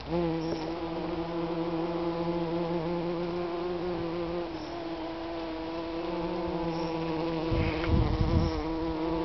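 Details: Garden bee recorded in June 2010 in Wolverhampton, UK, droning continuously for nine seconds with a low, layered hum that briefly dips, then resumes; a few soft knocks and rustles near the end.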